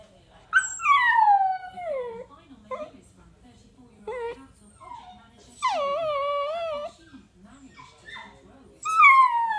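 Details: Miniature dachshund howling and yawning: drawn-out whining howls that slide downward in pitch, with short breaks and softer murmuring sounds between them, then a final howl that rises again at the end.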